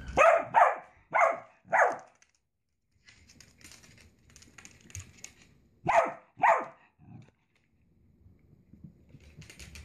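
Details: Indoor pet Dachshund barking in bursts: four quick yaps, a lull filled with faint scuffling, then two more loud barks and a softer yelp, with rustling afterwards.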